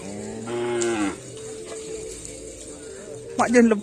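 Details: Karapan sapi racing bull training on the Aseamanis field gives a short moo of about half a second, followed by a quiet steady hum and a brief rough, wavering call near the end.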